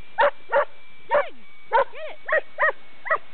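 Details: Dog barking while playing with a rock: short, sharp barks repeated roughly every half second, about eight in all, some with a rising-falling whine-like inflection.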